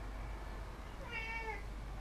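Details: A domestic cat gives a softer, more distant meow midway, a falling harmonic call of about half a second, partly masked by heavy low-pitched background rumble; recorded 18 September 2016.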